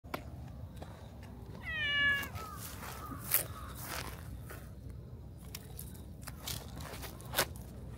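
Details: Stray cat that came out of the grass and rubbed against the person's feet, giving one drawn-out meow that rises then falls, followed by soft rustling and faint clicks in a quiet outdoor setting.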